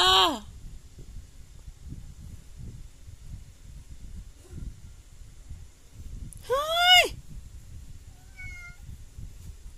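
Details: House cat meowing three times about three seconds apart: a sharp descending meow at the start, a louder rising-then-falling meow a few seconds later, and a faint short one near the end, with low background rumble between.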